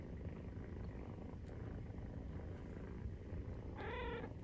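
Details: Maine Coon cat purring while nursing a kitten 43 days old, a constant low rumble, then a brief high squeaky meow near the end.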